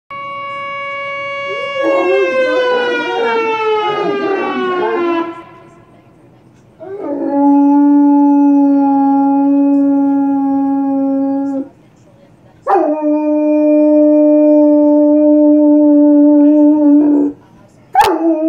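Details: Irish wolfhound singing: a long harmonic howl sliding gently downward, then two steady sustained tones of about five seconds each separated by short pauses, ending with a brief sharp sound.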